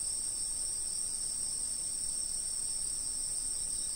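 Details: Steady, unbroken high-pitched insect trilling at a fixed recording spot, two continuous ringing tones held evenly throughout with no pauses, over soft low background rumble.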